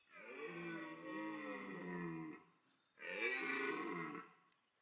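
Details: Autumn rut roaring of a red deer stag in the Parc Sainte-Croix animal park, where two evenly matched stags chased, mated and fought; two long, throaty, harmonic bellows, the first over two seconds and wavering, the second shorter after a pause.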